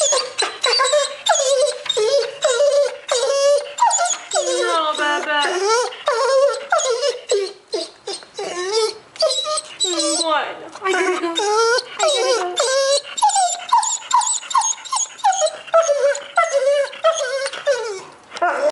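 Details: A male dog 'talks' to its owner, begging her not to leave for work as it does each morning. Near-continuous chattering whines and yodel-like moans rise and fall in quick succession, with occasional Spanish speech from a woman.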